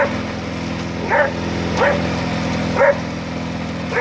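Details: Border Collie named Pete herding a lawn mower, giving three short, clipped barks about a second apart against the constant low hum of the mower engine.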